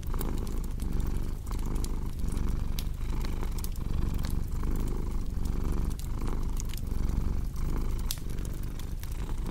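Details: House cat rumbling a deep, even purr in rhythmic breath-paced pulses, set against the intermittent popping and crackling of a wood fire in a cozy room.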